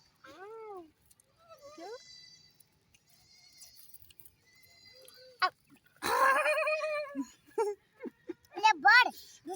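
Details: Mini goats and a baby goat on a goat farm: short arched bleats early on, then a loud, drawn-out bleat in the middle and several quick quavering bleats near the end, with people talking between them.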